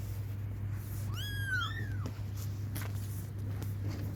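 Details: Kittens crying for their mother, calling for milk; a single pair of overlapping high, arched mews near the start, then only a low hum and faint rustling.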